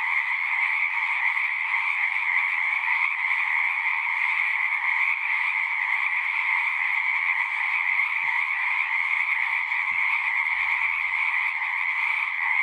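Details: Chorus of singing frogs as natural sound: many overlapping high trills merge into a constant, buzzing drone that holds steady from start to end, with only a few faint low knocks in the background.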